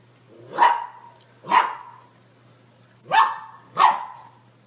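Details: Golden Retriever from a compilation of cute, funny dog moments, giving four sharp, mid-pitched barks: two spaced about a second apart, a pause, then two more in quick succession, in a quiet room.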